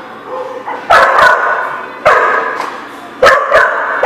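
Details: Dogs at The Barking Lot give short loud barks in clusters, about one burst every second, each burst followed by fading echo and quieter barking in the background.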